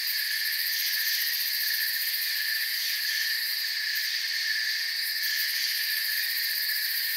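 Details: Steady high-pitched chirping of many crickets fills a forest soundscape, a constant layered drone with brief pulsed flickers near the top, otherwise unchanging.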